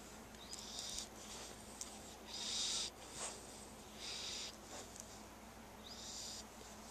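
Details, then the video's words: Sleeping chubby puppy snoring in a quiet room, short hissing wheezes recurring roughly every one and a half to two seconds, low and soft against a faint constant hum. "cute snoring puppy"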